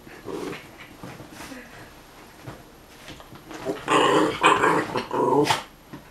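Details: Young male dog at play with his female friend, giving rough, harmonic play growls and yaps. Soft at first, they build into a dense, loud cluster of overlapping growls near the end.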